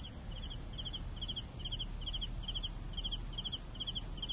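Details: Rapid cricket chirps in rhythmic bursts of a few pulses, around two each second, over a sustained high-pitched insect drone and low rumble.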